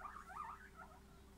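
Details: Guinea pigs giving a short wavering squeak that rises and falls, lasting just over a second over a steady low hum.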